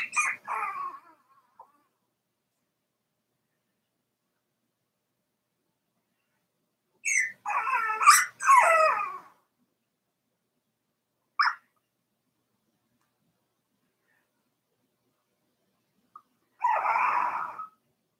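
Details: Whining and whimpering from four-week-old Cavalier King Charles Spaniel puppies in Daisy's puppy pen, coming in scattered bursts separated by long quiet gaps.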